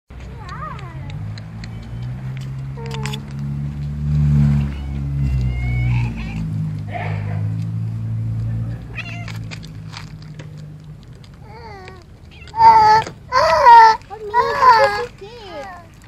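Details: Friendly cat in a residential area, fed by a caretaker, rubbing against everything to be petted; scattered short mews early on, then a burst of three loud, wavering meows near the end over low rumbling background.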